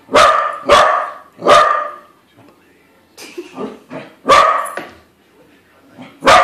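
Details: A corgi confronting a balloon corgi barks three times in quick succession, pauses amid softer huffs and quiet grumbles, then lets out two more loud barks and a final sharp one.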